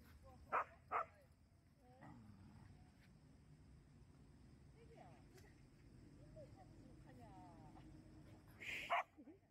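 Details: Jindo dogs on a walk in Busan, barking from jealousy: two sharp barks in quick succession near the start, then a lull of faint murmured speech and low rumble before a third loud bark near the end.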